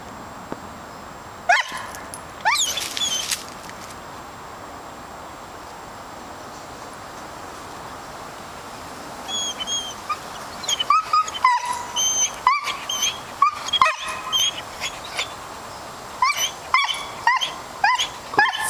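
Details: Calvin, a dog, hunting squirrels in the woods: a series of short, high, whining yips and whimpers, bunched irregularly in the second half, after a few earlier outbursts, over a quiet outdoor background.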